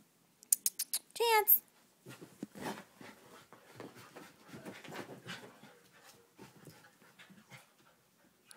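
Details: Two dogs, Chance and Khalen, one a puppy, at play together: a quick run of high, sharp yelps opens, followed by scuffling, soft panting and scattered noises, with a person speaking in the background.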